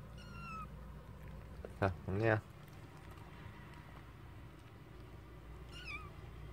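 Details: Kitten giving thin, high-pitched mews that slide downward, one at the start and another near the end, with a louder, lower harmonic burst around two seconds over a steady low indoor hum.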